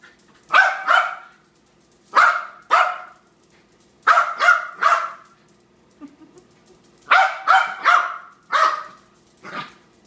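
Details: Dog called Harry losing his composure with bursts of barking, doubled and tripled barks separated by short gaps, a faint brief sound between bursts.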